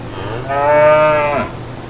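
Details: Cattle moo from brown cows and calves in green pastures: a single rich, nasal lowing of about one second, even in pitch and ending with a quick downward slide, against a faint constant low hum.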